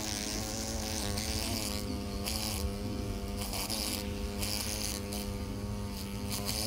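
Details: Hornet held after being caught with tweezers, buzzing continuously in a low, rich drone whose pitch wobbles slightly and dips briefly at moments, with steady background hiss.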